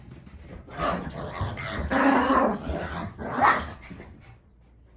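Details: Mitzi, a pet dog, lets out a run of rough growling barks, loudest near the middle and again toward the end, with a quieter stretch at the close.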